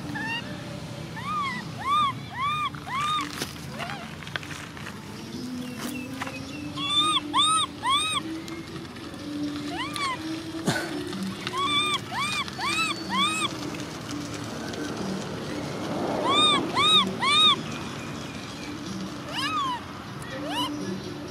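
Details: Baby macaque monkey crying. Thin, arched, whistled cries come in quick runs of three or four throughout, repeating about twice a second, over a low murmur of background voices and outdoor noise.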